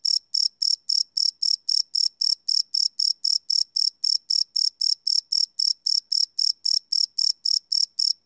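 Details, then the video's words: Crickets chirping after dark, recorded live using a Sony PCM D100 field recorder without looping; a rapid, steady string of piercing high pulses, nearly four per second, fills an otherwise silent background. "Cricket Chirp Sound - Cricket Sounds at Night"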